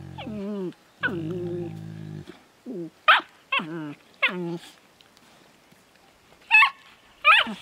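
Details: Affectionate exchange between a Finnish Lapdog puppy and an older Landseer female: deep drawn-out groans and moans, then short high yelps and squeals with gaps of quiet between.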